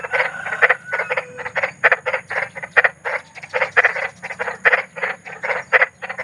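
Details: Big frog croaking outdoors at night, used as a sleep aid for restless children: bursts of harsh, grating croaks in quick clusters of two or three, repeated roughly every half second.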